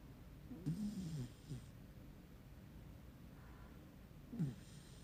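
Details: A puppy snores in its sleep, a low throaty snore near the start followed by a shorter one about three seconds later, with quiet breathing between and a hushed room behind.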